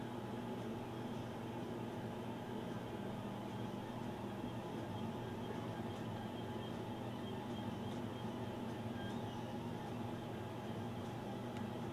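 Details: A steady broadband indoor hum, like a running machine or appliance, fills the whole stretch with no animal voice; no other distinct sounds stand out.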